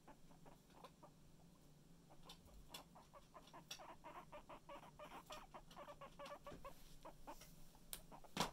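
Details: Guinea pig kept as a pet, near its stuffed toy guinea pig, making short repeated clucks and chirps that grow louder and closer together, ending in a sharp loud burst, with low background hum.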